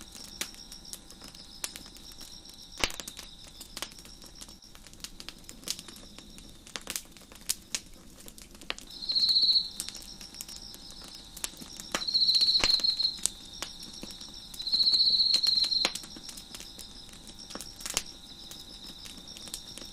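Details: Crickets heard in the background of a crackling fire on a deck. A constant high, shimmering ring runs throughout, and three louder buzzy trills of about a second each sound a few seconds apart, amid scattered sharp pops from the burning wood.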